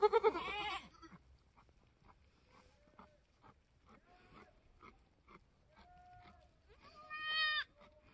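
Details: Newborn F4 mini Alpine buckling, black with white frosted ears and nose, born on a homestead on March 13, 2021: a loud, harmonic, wavering bleat opens, then quiet murmuring and a second shorter bleat near the end.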